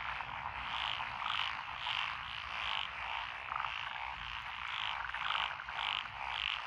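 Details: Chorus of frogs in lotus paddy fields on a country lane, Echizen, Fukui, Japan, 12 June 2021; rapid repeated croaking pulses, about a hundred per minute, many callers overlapping into an unbroken din.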